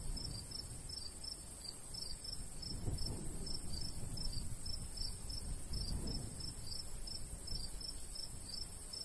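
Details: Natural cricket sounds from a golden wheat field in summer countryside: quick repeated high chirps, sometimes doubled, continuing throughout while light breeze gusts swell twice in the low register.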